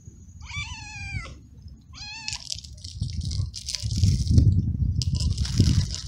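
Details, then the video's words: Young, frightened male stray cat living alone in a large garden, very hungry and crying for food; two drawn-out meows with falling tone, the second shorter, followed by rustling and crunching noise as it eats. "Stray Cat Very Hungry Crying For Food"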